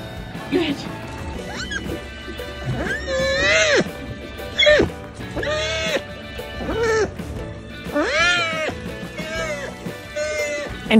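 A sea otter gives repeated high, piercing squeals that arch up and fall away, over background music.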